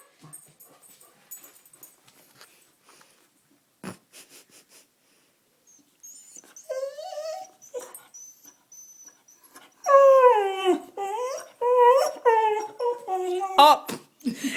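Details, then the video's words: A dog crying and whining to beg for food. Quiet at first, then high, wavering whimpers rise and fall from about the middle. They build into loud, repeated pleading cries in the final five seconds, with a few faint clicks and voices earlier. "Dog Crying for Food"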